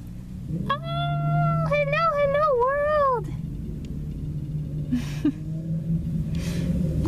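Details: Chihuahua puppy, a young female on her first day at a new home, gives a run of high, wavering whining cries that rise and fall in pitch for about two and a half seconds, then quieter sounds over a steady low hum.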